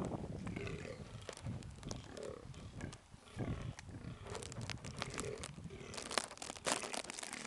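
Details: Fallow deer in Knole Park giving short, hoarse barks, repeated at intervals through rustling and wind-like noise.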